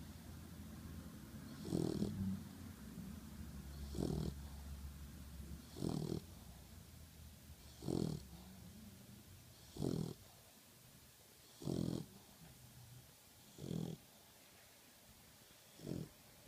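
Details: Sleeping pitbull mix puppy worn out after a very hard day, giving eight rough, low snores spaced about two seconds apart, each a short raspy rumble on the breath, with near silence between.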